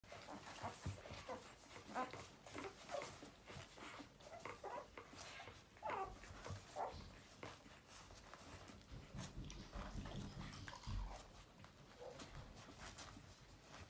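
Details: Newborn puppies making soft squeaky whimpers and short mewling cries, scattered irregularly through the clip, some brief rising squeals, over low rustling and shuffling sounds in a quiet indoor space.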